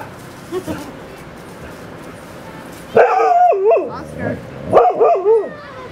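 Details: Dogs at play, Gunner romping with puppy Willow and a few other canine friends: a couple of faint yips early on, then from the third second wavering, whiny yelps and barks in two bursts, with some human voice nearby.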